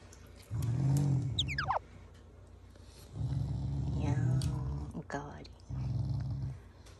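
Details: Shiba Inu, a family pet indoors, growling as a show of affection rather than anger: three low rumbling growls of about a second each, with a woman's speech and high squeaky voice sounds between them.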